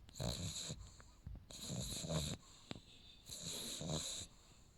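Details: Max, a sleeping French Bulldog puppy, snoring: three rasping, breathy snores, each about a second long, separated by short quieter gaps of soft breathing.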